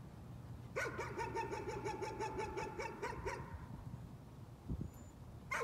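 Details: Nuisance barking from a dog: a rapid burst of about a dozen sharp, ringing barks over roughly three seconds, then a pause, with a steady low hum underneath.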